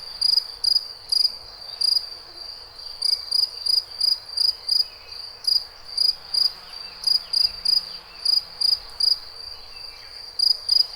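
A cricket gives steady, high, pure chirps, each a quick trill, repeated about twice a second.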